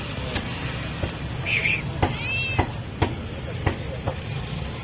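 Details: A single bending meow from a hungry stray cat asking for food, surrounded by a series of sharp taps and clicks over a low urban traffic drone.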